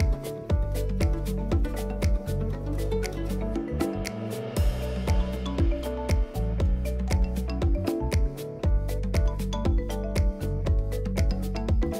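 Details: Rhythmic music with a steady bass beat and plucked notes, with no animal voice heard.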